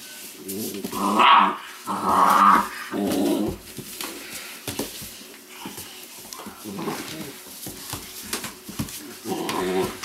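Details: Weimaraner puppies from a litter of Indigo and Magnum, play-growling and yelping in a few loud bursts early on, then quieter scattered grumbles and small yips through the rest, with a little background rustling.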